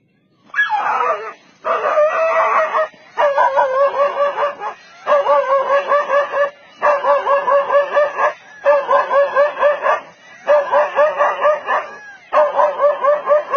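A dog barks in harsh, wavering bursts, repeated about every second and a half, to drive off a leopard.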